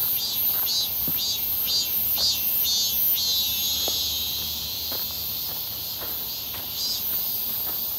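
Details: Cicadas near Seonbawi on a clear, hot midsummer day, 1 August 2023, recorded during a walk as their calls grow more frequent: dense high buzzing chorus pulsing about twice per second, with soft footsteps beneath.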